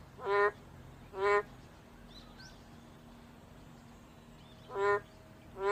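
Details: Sparse nasal honks from a boreal digging frog: two short calls, a long pause of about three seconds, then two more, over a faint steady background hum.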